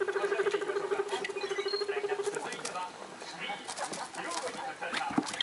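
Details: Excited house guinea pigs, three young ones up to six weeks old; a rapid throbbing "rururu" rumble lasts about two seconds, possibly voicing displeasure, then gives way to rustling, clicks and television noise.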